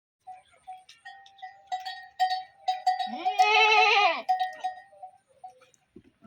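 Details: Sheep on a farm in Telangana, India: one long wavering bleat with rich harmonics rising then falling over about a second, amid steady ringing cowbell-like tinkling and scattered clinks.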